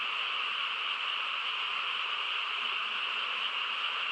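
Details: On a still rural night a frog chorus forms a continuous shimmering drone of countless overlapping high croaks, level in loudness from start to finish.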